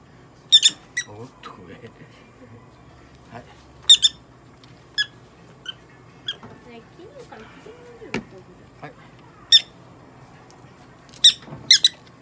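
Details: Popo-chan, a pet prairie dog being examined and treated at a Nagoya animal clinic, lets out shrill chirping squeaks in short clusters every second or two, sometimes doubled, over quiet room noise and a brief voice.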